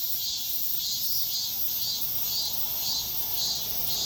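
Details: Early-morning cicadas producing a bright, shrill buzz that throbs in even beats about twice a second, loud and steady over a quiet low background.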